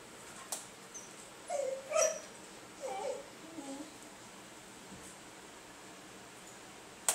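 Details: Basenji at home calling for attention to play or go out to pee, with a few soft, wavering, yodel-like whines, each under a second, rising and falling in pitch, over faint background hiss.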